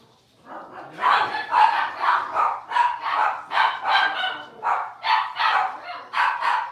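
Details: Six-week-old blenheim Cavalier King Charles Spaniel puppies, a litter of five born on New Year's, in their home puppy pen: a steady run of high, sharp yapping barks, about two per second, with a faint voice in the background.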